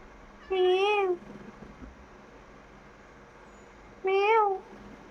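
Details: Formerly feral cat indoors giving two clear, slightly arched meows about three and a half seconds apart, with quiet room noise between.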